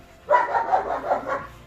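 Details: Rottweiler on a summer outing to a Dnipro river beach in Ukraine: a single drawn-out, harmonic, rough vocal sound lasting just over a second, rising quickly then wavering in loudness, in a quiet setting.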